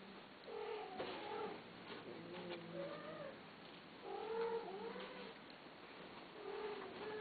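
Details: Cats offered for sale meowing repeatedly: drawn-out, wavering, slightly whiny calls in several bursts about every one to two seconds, some rising then falling, over light rustling and clicking noises in a small room.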